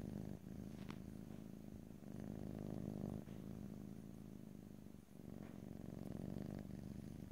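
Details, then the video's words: Domestic cat purring in close stereo, a steady low rumbling drone with fine rapid pulsing, broken by brief pauses for breath about every one to two seconds; no talking or other sounds. "ASMR Cat: Purring"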